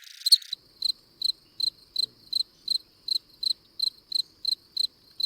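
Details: Cricket of a different kind from the classic fall cricket, heard in a late-summer naturalist talk on fields and wetlands: high, clear chirps repeated steadily about every 0.4 seconds, around a dozen in a row, after a brief louder burst at the start.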